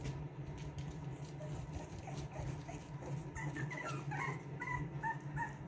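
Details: Boston Terrier puppies from a litter of two, born to Lily and Lil Red, playing: thin, high whimpering notes rise and fall in short bursts during the second half, over a steady low electrical hum.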